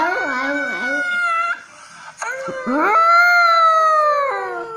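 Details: A French poodle puppy howls along while watching videos, holding steady, harmonic notes with a wobbling start, a brief break, then a loud, long, level howl that slowly falls at the end.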